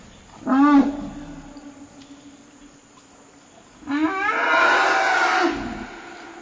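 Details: Young female African elephant, aged 8, protesting at having to stop sharing ground minerals with her 48-year-old mother, a third elephant present; a short tonal cry with rising harmonics, a quiet pause, then a louder, rough, broadband scream lasting about one and a half seconds.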